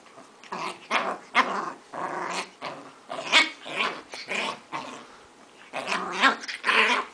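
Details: Dogs tussling over a crab plush toy, one turning fierce; harsh broadband growls and snarls in repeated bursts of about half a second, with brief quiet pauses between.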